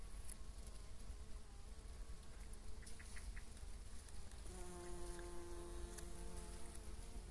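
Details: Male bumblebee, recognised by long antennae and no sting, filmed close up; a low droning buzz with stacked harmonics that strengthens and steadies after four seconds, over a noisy background with faint rustling.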